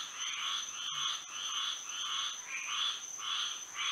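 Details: Frogs singing at night under moonlight in Florida: a dense chorus of buzzy, pulsed croaks, each burst lasting about half a second and repeating roughly twice a second, over a steady high-pitched continuous tone.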